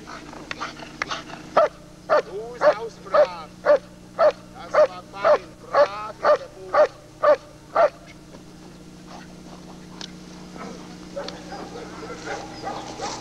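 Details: Working German Shepherd Lord v. Gleisdreieck, DDR, taken from a 1995 television recording, barking rapidly and evenly about twice per second for some six seconds. The barking then stops, leaving faint rustles and a low electrical hum.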